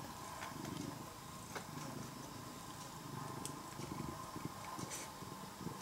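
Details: A once-stray tabby cat, fed for more than three years and now nearly a house cat, gives a continuous low rhythmic purr of even, repeated pulses, with a faint steady hum in the background.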